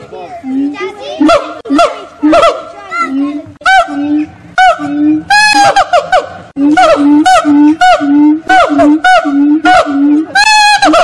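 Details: Singing monkeys at Fota Wildlife Park on Fota Island, Cork Harbour, Ireland: steady low tonal hoots repeated about twice a second, woven with higher swooping whoops and sharp rising slides, loud and continuous.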